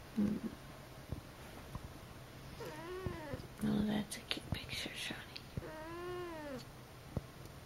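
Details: Akari, a pet cat during her first two months with her household, gives two drawn-out arched meows several seconds apart, with soft whispered voices and small knocks indoors between them.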